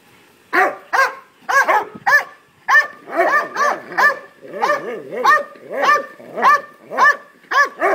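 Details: Belgian Malinois, a three-year-old male, barking excitedly for a ball while younger Labrador retrievers play with it; rapid harmonic barks, roughly two per second, steady and insistent.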